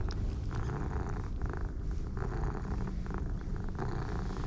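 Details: Pair of orange tabby cats, one dark and one light, purring with pleasure while being stroked; a steady low rumbling purr with rhythmic pulsing surges roughly twice a second, continuous throughout, with faint background hiss.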